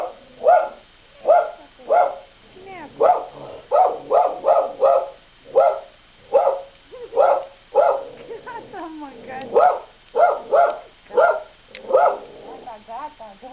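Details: Pet dog startled by its reflection in a mirror barks in quick, uneven volleys of loud, sharp barks, about 85 a minute, with brief pauses and a softer whine midway.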